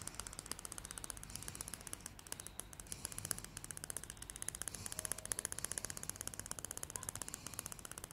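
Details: Greyhound Salty, a happy female dog indoors, chatters her teeth nonstop: quick, ratchet-like clicking repeating several times a second with uneven spacing, crisp and dry throughout.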